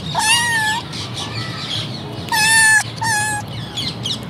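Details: Meowing from a litter of three domestic kittens: one drawn-out, level meow at the start, a pause, then two bright meows close together near the end, over a soft low background rumble.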